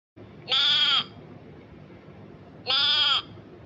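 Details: Two strained, buzzy bleats from a grazing goat sound about two seconds apart, each roughly half a second long and steady in pitch, over faint background hiss.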